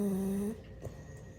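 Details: A French Bulldog napping gives a brief, steady, droning snore that cuts off after half a second.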